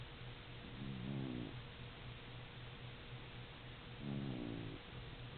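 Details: Cat snoring: two short, wavering, buzzy breaths about three seconds apart, each rising then falling slightly, over a steady low hum and constant background hiss.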